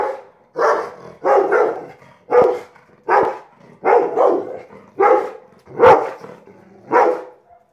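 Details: Watching a kite, a Rottweiler gives about ten deep, harsh barks in quick succession, some doubled. They come at an even pace of nearly one per second.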